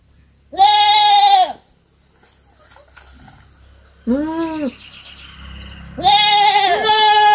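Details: Young goat on a farm calling three times: a loud nasal bleat, a shorter lower one, then another loud bleat, with a low rumbling noise and a thin high whine in the background.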